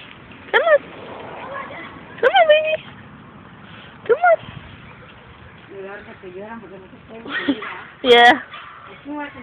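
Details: Puppies cry because they cannot climb up. Several high, rising yelping whines come in short bursts about two seconds apart, one louder cry near the end, with people talking in English and Spanish between them.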